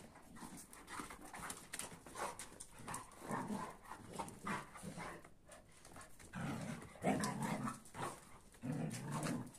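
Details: Big dogs squaring off, a Kuvasz mad at a Boerboel and a sheepdog: low, rumbling growls in bursts that grow deeper and louder in the second half, with panting and shuffling between.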